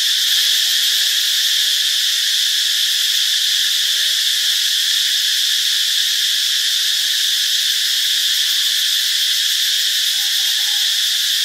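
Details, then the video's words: Cicadas (Cicadidae) chorus in a steady, shrill, unbroken buzz that carries on without pause; recorded in Ubon Ratchathani, Thailand, on Monday, March 15, 2021. "เสียงจักจั่น (Cicadidae)"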